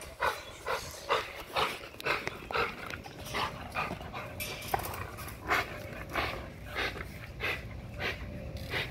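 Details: American Bully, an XL pitbull type, exercising on a spring pole to build muscle and drain energy, with harsh breathy pants about every half second and a faint steady tone underneath.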